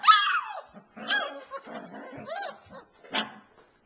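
Alaskan Malamute puppies give high, wavering whines and short yips in quick bursts.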